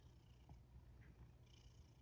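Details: Male rescue cat purring while eating dinner indoors, a soft continuous low rumble steady throughout, with faint clicks of eating and room hum; a woman speaks just before and after.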